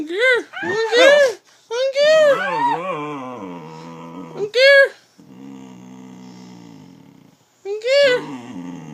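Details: Indoor dog "talking" in a small room, producing loud, tonal, arching yowls and grumbling moans in several bursts, with a quieter drawn-out grunt near the end and a person speaking around it.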